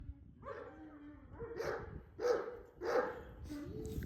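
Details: Female Kangal dogs, one the daughter of Zaza and one of Efendi, home-bred by their keepers; a few hoarse, mid-pitched barks come in short bursts about once a second over a low rumble of background noise.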